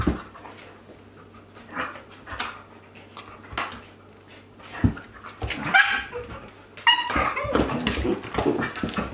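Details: Akita Inu dogs playing, a 14-month-old with a 2-month-old puppy, in 2023: quiet scuffling at first, then high yelping whines and a stretch of growling near the end.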